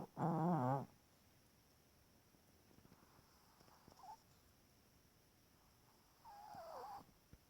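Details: Chihuahua asleep and twitching, giving a short loud buzzy snore with a wavering tone, followed by quiet breathing and faint high nasal whistles that rise and fall.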